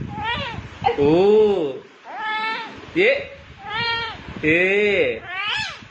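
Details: Domestic cat meowing repeatedly, about six drawn-out, tonal meows in six seconds, each rising then falling in pitch, some with a whining, wavering quality, separated by short quiet gaps.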